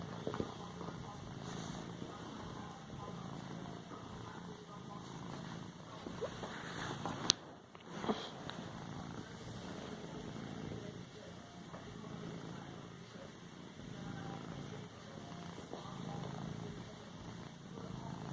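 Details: House cat padding a cushion and purring, a low pulsing rumble throughout, broken midway by a sudden sharp burst, likely a sneeze, before the purring resumes.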